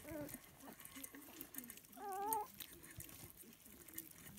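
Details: Lancashire Heeler puppies eating a breakfast of scrambled duck eggs; a brief whine opens, quiet grunting follows, then a louder wavering whine lasting under half a second before the low mutters return.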